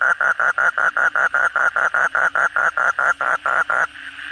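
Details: Kodok bangkong chorus at night following heavy rain: a close caller gives a crisp series of short, evenly repeated croaking pulses, roughly four each second, then stops, leaving a soft chorus and hum.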